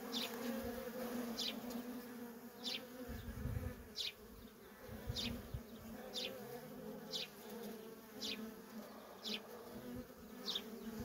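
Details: Worker honey bees in nonstop traffic at a feral colony: a steady low droning hum with a strong overtone, with short high chirps repeating about every half second above it.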